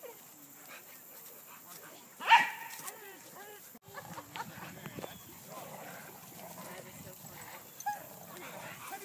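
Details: At Lloyd Ave. Dog Park, dogs tangling with a tree give a single loud, harsh bark early on, followed by quieter scattered yelps over steady background chatter.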